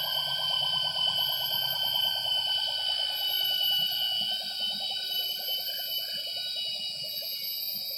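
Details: Gibbon song in Borneo rainforest at Semenggoh Nature Reserve near Kuching, 07:58 in the morning: a fast bubbling trill of whoops that slowly slides lower over eight seconds, with loud continuous insect drone throughout.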